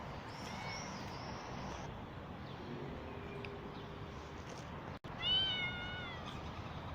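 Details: Street-living mother cat that has just given birth, followed while her kittens are missing; after a long quiet stretch of background noise a single clear, wavering meow sounds near the end, preceded by a faint high thin tone.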